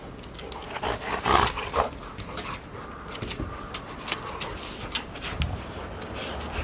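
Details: Playful tussle between one-year-old Golden Retrievers Asahi, male, and Chiwa, female, with sibling Rowa nearby, Ain village, 4 May 2019; a rough growling burst early on, then huffs, panting and pawing noises.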